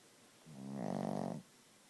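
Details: A single drawn-out snore from Gidget, a sleeping Chihuahua, rising from a low buzz into a loud, vibrating, fluttering rasp lasting about a second before stopping abruptly.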